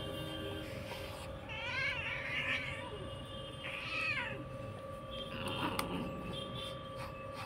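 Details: Domestic cat meowing while being combed: two drawn-out, wavering meows, the second shorter and rising then falling, over a steady electrical hum and low room rumble.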